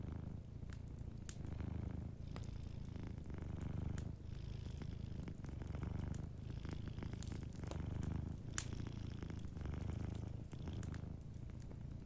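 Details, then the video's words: A cat asleep near a cozy fire purrs gently, its low throbbing drone rising and falling in regular breathing rhythm over twelve seconds while the fire crackles and occasionally pops in the background. "a Sleeping Cat 🐱💤Fireplace & Soft Purring"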